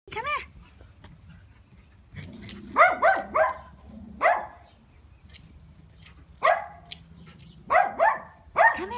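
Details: Adopted Labrador Retriever, an energetic young male at home, giving a series of loud, sharp barks in short bursts separated by pauses, with a person calling him in between.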